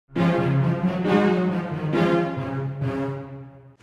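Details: Short brass-like theme music with swelling sustained chords and a soft fade at the close, without any animal voice.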